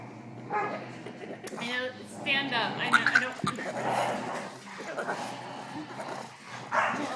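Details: Male Boston Terrier, going nuts because he can't join the other dogs in play, produces strange rising, quavering whines and gargled grumbles, with people talking nearby.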